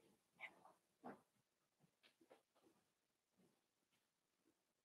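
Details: Four-week-old Cavalier King Charles Spaniel puppies from Daisy's litter in their indoor pen give soft, quiet whimpers and whines in a few short, irregular bursts over a faint steady background hiss.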